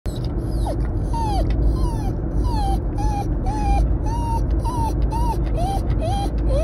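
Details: Two Patterdale Terriers excited for a car journey give high, wavering whines, short rising-then-falling cries repeated about every half second, over a steady low rumble of the car.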